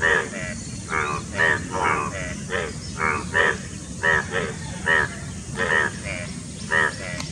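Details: Chorus of Indian bullfrogs at courtship near Dombivali, Thane district, Maharashtra, 9 June 2018; throaty, buzzy croaks come in quick succession, about two per second, over low continuous background rumble.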